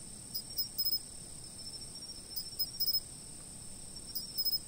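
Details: Insects calling, filmed from a fixed point, with a steady piercing whine and groups of three or four quick, crisp chirps returning roughly every one and a half seconds.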